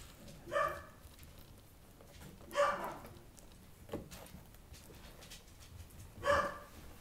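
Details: Beagle puppies of the Cornerhouse W litter, born 22 February 2014 and about one month old, indoors, giving three short high yelps spaced about two seconds apart, with quieter whimpering and rustling between them.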